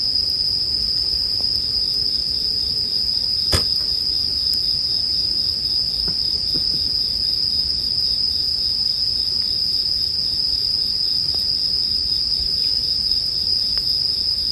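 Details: Bell crickets sustain one unbroken, high, bell-like ringing tone, accompanied by gentle campfire crackling and a single sharp snap of burning wood early on.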